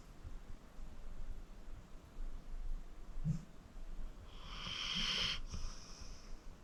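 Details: Snoring from Acorn, a 14-year-old pit bull rescued from the Cuyahoga County Animal Shelter, asleep: quiet breathing, a tiny snort, then one hissing, raspy exhale lasting about a second.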